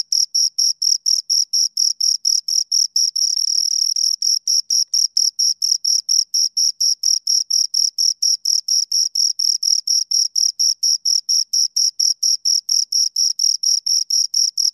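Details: Steady chirping from two crickets: rapid, high-pitched scraping pulses in a regular stream, briefly merging into a continuous buzz near the fourth second, otherwise evenly spaced with silence between.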